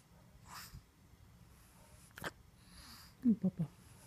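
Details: A pug lets out short breathy sneeze-like bursts with broad hissing noise, then near the end three quick low snorting grunts in fast succession.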